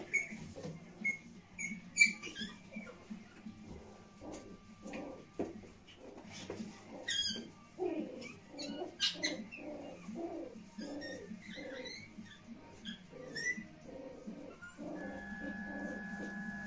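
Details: Pomeranian puppies in the whelping room making a rapid series of thin, squeaky whimpers roughly every half second, with scattered sharp clicks and rustles and a steady electrical hum near the end.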